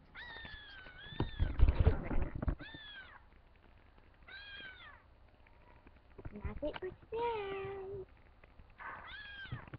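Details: Pet cat calling while she looks for her kittens: a series of about five clear meows, some long and bending downward, others short and rising, spaced a second or two apart, with brief human speech early on.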